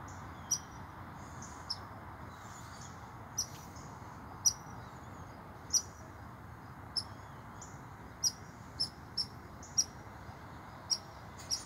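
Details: An American red squirrel that ran up a tree scolds an approaching person, possibly near its nest, with sharp, high barks at uneven intervals over a steady rushing hiss.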